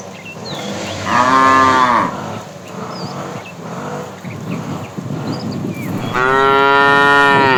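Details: Afternoon herding of tame cows: a fat cow calling the female gives two deep moos, a short one early and a longer, sustained one near the end. Quieter lowing and rustling sit between them, with bird chirps above.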